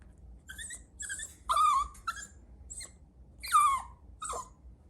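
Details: A Chihuahua puppy gives short, high whimpering yips, some sliding downward, about every half second to second, with quiet indoor pauses between them.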